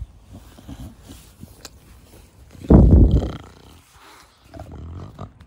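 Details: Pet bulldog playing affectionately with its owner in a garden, heavy snorting 'fugo fugo' breathing; a loud low rasping snort burst mid-clip between quieter huffs.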